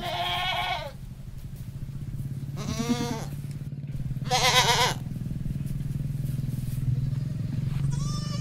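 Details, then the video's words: Countryside goat farm scene of a male goat with his mate: four tremulous, wavering bleats, the middle ones loudest, spaced irregularly over a persistent low motor-like drone. "Male Goat Ask Her Wife to have new babay"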